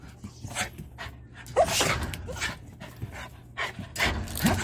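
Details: Jindo dog named Yeongdo, a factory dog, on a walk through an unfamiliar park: breathy, noisy puffs of panting come in irregular bursts, a few louder near the middle and end, with faint low background rumble.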